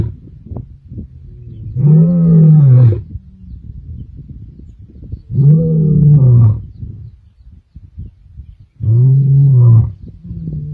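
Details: Male lions of the Kambula group roaring on 14 December 2023: three deep, moaning grunts, each about a second long, spaced roughly three and a half seconds apart over a low rumbling background.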